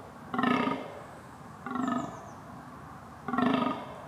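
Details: Red deer calling during the rut: three harsh, groaning bellows spaced over about four seconds, with a faint high whistle briefly heard between the second and third.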